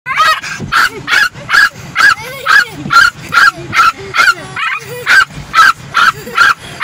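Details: A female Yorkshire Terrier in a car barks in quick, sharp, high yaps, a little over two each second, angrily attacking the moving windshield wipers, which she hates.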